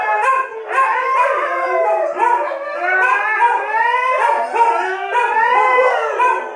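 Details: Siberian Husky and its canine siblings in a group howl, with repeated rising, drawn-out tonal howls, each lasting about a second, stacking over one another in a steady chorus.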